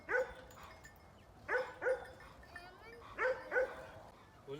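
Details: A cute pet dog on a grandfather's farm barks in quick pairs of sharp, high yaps, each pair about a second and a half after the last, with faint speech in the background.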